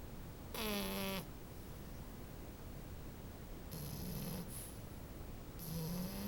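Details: Snoring French bulldog puppy: three rough, whistling inhalations in about six seconds, the first strongest, separated by quiet breathing.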